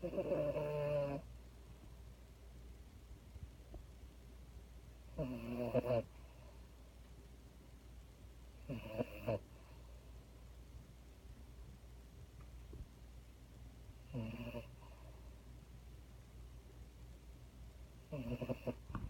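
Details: A female French Bulldog, held in someone's arms indoors, snores softly in a slow rhythm, with five brief rasping snores spaced roughly four to five seconds apart and quiet room noise between.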